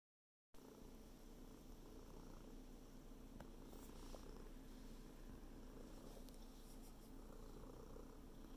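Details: Domestic cat purring while kneading a blanket indoors: a steady, low, rumbling purr that runs unbroken after a brief silent start, with a few faint clicks and rustles of the blanket.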